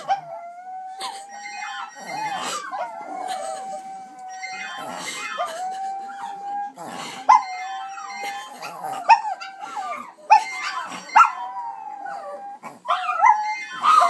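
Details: Several chihuahuas howling together, small but mighty: a sustained wavering howl holding one pitch for long stretches, overlaid by higher sliding wails and yips, with sharp clicks and bumps between phrases.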